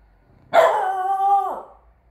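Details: A single long, tonal, slightly whining bark holding steady for about a second, from Frow Frow (Bear), a three-month-old Chow Chow x French Bulldog puppy born 12/08/21, playing guard dog.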